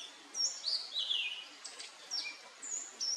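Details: Hylodes asper recorded at Paranapiacaba, São Paulo, Brazil, on 12 December 2020: high-pitched, thin whistled chirps and short downslurred notes in scattered bursts over a steady hiss of background noise.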